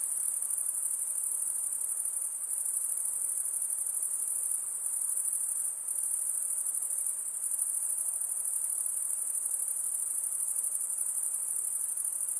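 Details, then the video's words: Continuous shrill insect trilling, very high and even, broken only by one short dip about halfway through before resuming unchanged. "Relaxing high pitched INSECT sounds"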